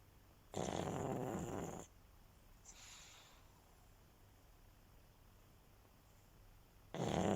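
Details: A pug dog asleep and resting indoors: a rough noisy snore lasting over a second, a faint breath about a second later, then a long quiet pause before the next loud snore begins.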